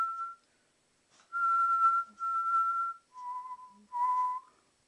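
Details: Playful two-month-old Alaskan Malamute puppy howling: steady level whistling notes, two long ones at a higher pitch followed by two slightly lower ones, separated by brief pauses, with soft background rustle.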